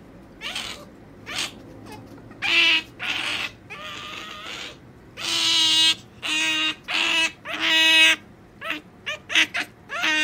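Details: A pet otter being taught to wait for a jerky treat and failing to hold still: bursts of shrill, squeaky chirps and squeals, some short and some drawn out, coming irregularly over several seconds.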